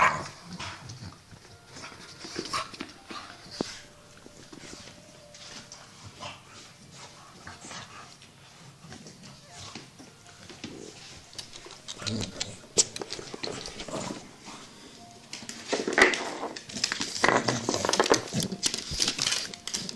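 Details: Playing Staffordshire Bull Terriers, two adults with two tiny puppies, make scattered growls, whimpers and short yips over steady scuffling and clatter, growing busier and louder in the last few seconds.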